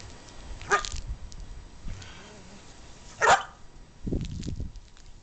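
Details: Pet dogs Cody and Dylan playing together; Cody barks whenever he plays. Two sharp, broad barks about two and a half seconds apart, then a lower, rougher grumbling burst, over faint room noise.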